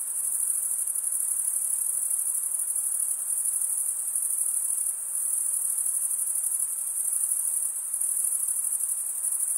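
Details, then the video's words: Chirping crickets form a continuous high, thin, shimmering drone, pulsing finely, with slight dips in loudness around the middle and near the end, with no other sounds present. "Most relaxing cricket sound"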